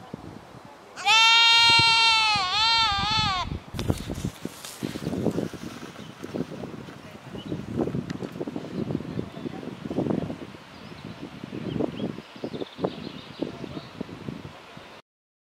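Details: Goat (Capra hircus) at Épinay-sous-Sénart, France, where goats have returned: one loud, quavering bleat, with people talking and murmuring in the background.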